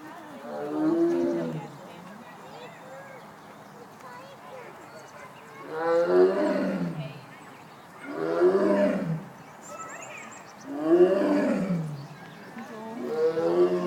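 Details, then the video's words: A male tiger at the Detroit Zoo on 3 July 2010 gives deep, groaning moans in bursts, each about a second long and repeated every few seconds. "Tiger makes odd noises at the Detroit Zoo"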